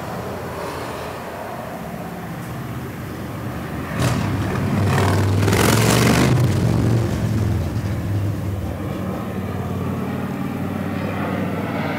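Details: Steady road traffic rumbles outdoors in an industrial district, swelling as a vehicle passes midway, with no bee buzzing audible.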